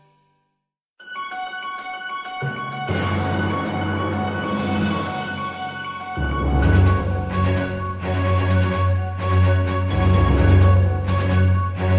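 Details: After a second of silence, a synthesized theme tune with a heavy low beat plays, and no animal is heard.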